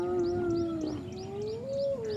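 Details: During a sunrise safari drive, a spotted hyena clan, including some sub-adults, attacks one individual, targeting its ears. One hyena gives a drawn-out, tonal contact call that holds low, then rises and dips again.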